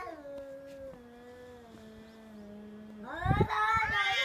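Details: Domestic cat during a fight, giving a long, low, drawn-out yowl that holds steady for about three seconds, then breaks into a louder, harsher, rising wail near the end.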